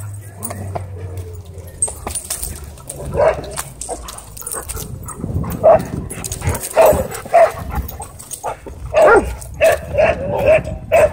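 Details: Dogs racing in a wild pursuit through a dog park; after a quieter start, a dog barks loudly in short punchy bursts, about one or two each second in the second half, with faint voices and outdoor rumble behind.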